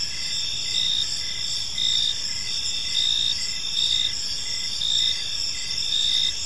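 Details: Crickets chirping on an evening in a quiet park, a dense high-pitched insect chorus with several steady bands and pulsed trills swelling roughly every second, over a low background hum.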